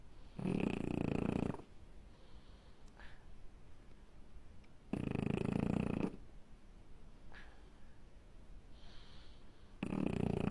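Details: Sleeping French bulldog snoring in slow cycles, with harsh, buzzy inhaled snores lasting about a second, spaced roughly four seconds apart, separated by soft wheezy breathing.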